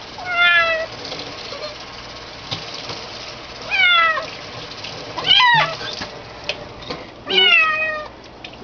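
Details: Kitten meowing while being bathed indoors: four loud, drawn-out, wavering meows about every two seconds, some falling in pitch, over steady running-water hiss with a little human speech.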